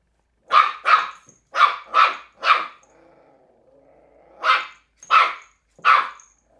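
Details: Young Cairn Terrier pup, three months old, barking while playing with an empty bottle: eight sharp, loud barks in two bursts, five then three, separated by a quieter growly stretch.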